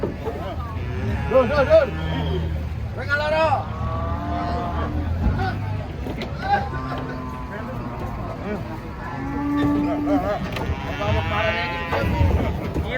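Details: Giant bulls, called aggressive, being unloaded from a truck. Several deep, drawn-out moos with rich overtones sound over the babble of a crowd of people calling out warnings.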